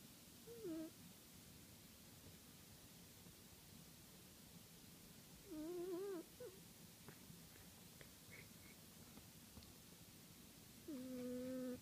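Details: A sleeping house cat named Max, a regular snorer, makes wavering whistled snore notes at each breath, roughly every five seconds, three in all, against a steady soft background hiss.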